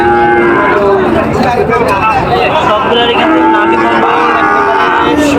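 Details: Sahiwal bull cattle at a cattle market in Joypurhat, dated 23/6/25: drawn-out, steady-toned lowing calls repeat across about five seconds, layered over constant crowd chatter and market hubbub.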